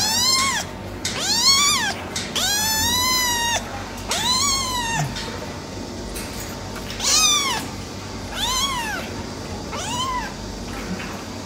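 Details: Repeated meowing from a silver tabby male cat: seven clear arched cries, rising then falling, coming every second or so, some drawn out longer, with a faint constant hum underneath.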